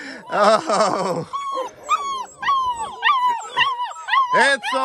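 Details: A litter of ten black German Shepherd puppies, fed and content after supper and prompted by whistling, howls in high, wavering, overlapping cries, though not all of them join in.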